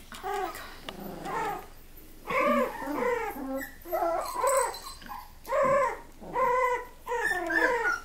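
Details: Miniature Australian Labradoodle puppies whimpering and whining indoors: high, arched, quavering cries repeated in short bursts roughly every second, several voices overlapping in a small room.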